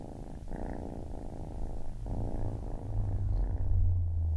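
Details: Baby kitten purring up close, a deep steady rumble with soft breathing breaks near the half-second and two-second marks, growing slightly louder toward the end; quiet indoor setting.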